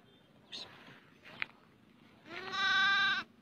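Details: A goat kid stuck in a split in the earth, discovered by hunters who rescue it, gives one drawn-out, nasal, quavering bleat near the end after a few faint rustles and taps.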